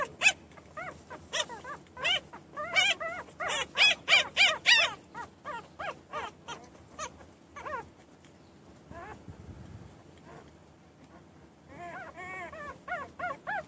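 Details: Many short high yelps and whimpers from newborn puppies come in quick overlapping bursts, fade to a brief lull, then return as wavering whines.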